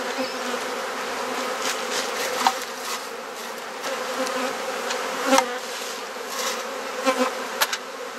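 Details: Honey bee colony buzzing as its hive is opened and frames exchanged in a Mosman Park garden in Perth, Australia; an even droning hum throughout, broken by scattered clicks and knocks of equipment.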